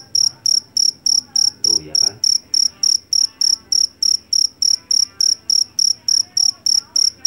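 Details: Jangkrik jeliteng from a rice field in Java, a cricket noted for its piercing voice, gives a rapid, even series of high, ringing chirps, about three and a half each second, over a quiet low hum.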